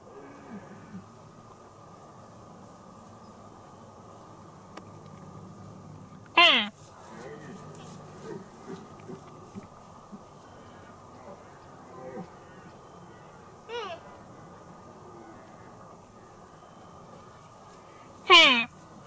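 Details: Deer calf calling to its playmate: two loud, nasal bleats falling in pitch, about twelve seconds apart, with a fainter call between them over a steady low background hum.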